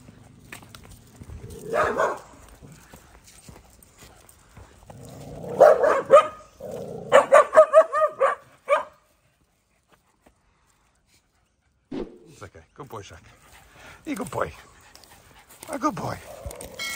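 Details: At a busy dog park, Shaq, an English Staffy puppy meeting big dogs for the first time, joins noisy play: harsh barks in quick bursts, then a short silence and more scattered yelps and barks.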